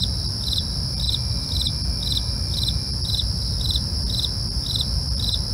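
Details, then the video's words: Nocturnal crickets give quick, evenly timed high chirps about twice per second, backed by an unbroken ringing insect tone and low, rumbling background noise. "night crickets asmr"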